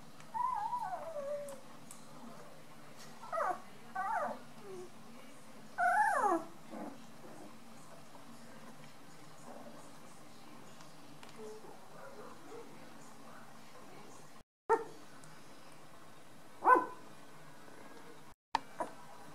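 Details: Eight Beauceron puppies, nine days old, in a litter indoors: short high squeaky whimpers and squeals in bursts near the start, then a long quiet stretch before two more brief cries, in a hushed small room.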